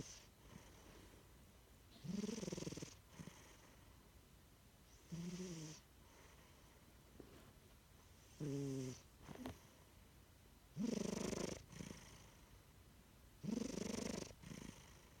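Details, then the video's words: Chino, a pet cat napping indoors, snores in five loud rasping bursts about every three seconds, each a low harmonic rumble with breathy hiss, separated by quiet breathing pauses. "My cat “Chino” with his special snoring"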